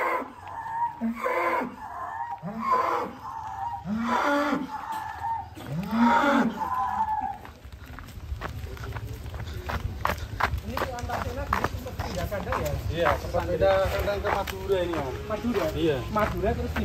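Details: Cattle raging while loaded onto a truck, bellowing in a rapid series of short, arching moos about every second and a half. The moos are followed by clattering, knocking noises and background chatter.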